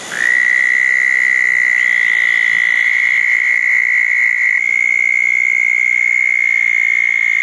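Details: Southern toad calling beside a small dug pond on a wet night after a thunderstorm, June 10, 2014. The trill starts sharply with a brief upward slide, then holds as a loud, even, high buzzing trill to the end.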